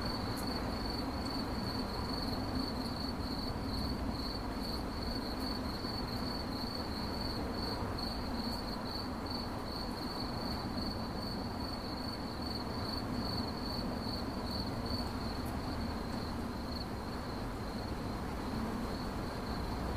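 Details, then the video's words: Shrill cricket chirping, a dense series of quick pulses on one high pitch that goes on nonstop, with a soft rumble underneath. "CRICKET CHIRPING"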